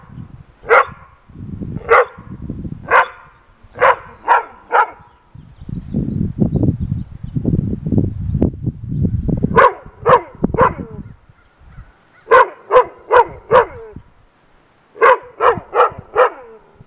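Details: Rough Collies bark at a groundhog perched on a fence, in sharp, loud bursts, often several in quick succession, with low rumbling between volleys.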